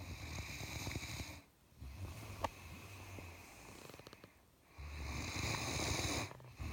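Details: A Great Dane in a Santa hat, a sound sleeper, snores at Christmas in long, rumbling, raspy breaths separated by brief quiet pauses.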